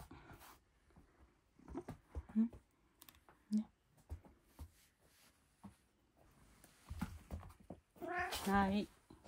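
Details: House cat eating dinner indoors utters one strong, wavering meow near the end, after a stretch of a person's soft repeated speech and faint mouth sounds in a small room.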